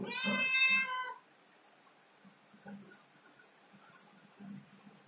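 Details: Climbing a ladder, a domestic cat lets out a single clear meow just over a second long, then only faint knocks and shuffling follow.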